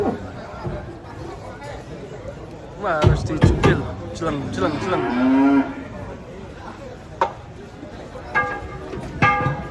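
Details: Enraged cattle, horn broken, coming down off a truck: after bursts of people's shouts, a drawn-out low bellow holds steady for about a second, with crowd chatter and knocks around it.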